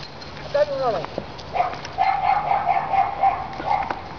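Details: A Dachshund tracking a cat in the courtyard of a service station whines in high, drawn-out tones, with a few quick falling yelps at the start.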